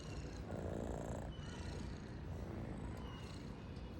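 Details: Domestic cat purring softly: a low, steady rumbling drone with faint pulsing, some rise in intensity around the first second, and a quiet hiss of background noise throughout.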